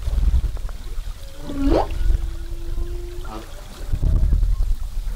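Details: Humpback whale song off Zamami, recorded during 2018 whale watching: a short swooping upward moan followed by a long level tonal hum, over low rumbling water and boat noise.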